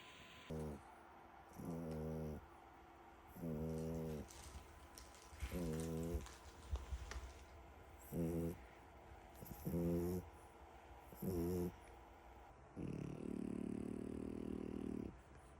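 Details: French Bulldog puppy snoring: low, buzzy, rasping snores with stacked tones, repeated roughly every one and a half seconds, ending in a longer, steadier snore.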